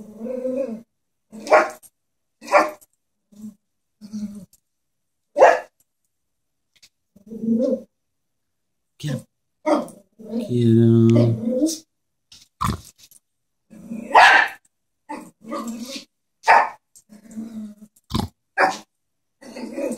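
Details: Chihuahua confronting a stuffed horse toy fires off many short, irregular yaps, with a longer rasping growl near the middle; human speech may be mixed in among the bursts.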